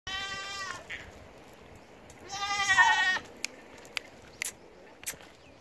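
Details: Goat giving two wavering, nasal bleats, the first short and the second longer and louder, separated by a pause, with a few faint clicks and knocks afterwards.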